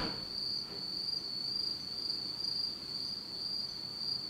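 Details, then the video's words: Japanese autumn night insects singing in pitch darkness, a sustained high metallic trill with faint overlapping ticks, steady from start to end. "真っ暗闇の秋の虫の声 Beautiful sound of insects in the fall of Japan in total darkness."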